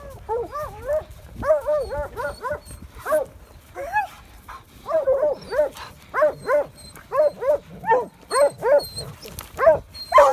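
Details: Coyote hounds on a chase that ended with a red coyote holed up in a rock den, giving rhythmic, bell-like bays that rise and fall, repeated steadily about twice a second with brief pauses, plus a faint human voice.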